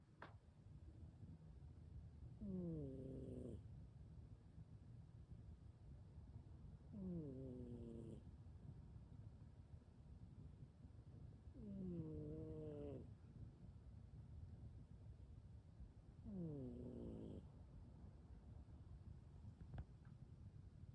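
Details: Sleeping domestic cat, lying with one eye open, snoring: soft, low rumbling breaths, each ending in a short, rising, harmonic snort about every four to five seconds, over a steady low hum.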